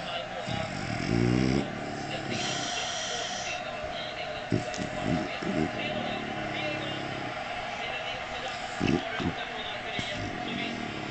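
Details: French Bulldog (Canis familiaris), snoring.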